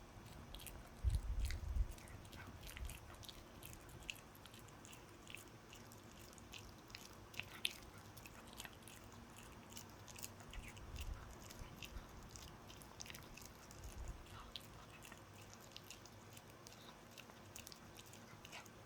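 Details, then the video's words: A pet dog chewing a dog chew indoors, with rapid, busy crunching clicks throughout, a burst of heavy thumping bites early on, then steady fine gnawing. "강아지가 개껌 먹는 방법"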